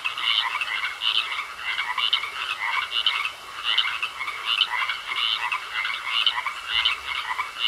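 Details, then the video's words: Pond frogs in full chorus, rattling croaks tumbling over one another in quick succession, with a constant high hiss beneath and no other clear sounds. "Sounds Of Frogs Croaking In A Pond"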